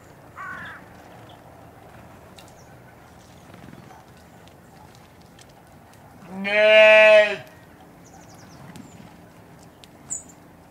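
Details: Adult domestic sheep recorded at Slimbridge, Gloucestershire, U.K.: a brief faint cry early on, then one strong, nasal, quavering bleat of about a second, followed by quiet background with faint chirps.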